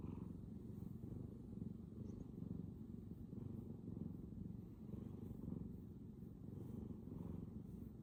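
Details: Loud, continuous low purring from a Bengal cat, its engine running full throttle; the deep buzzing throb rises and falls in regular waves, with faint breathing hiss above.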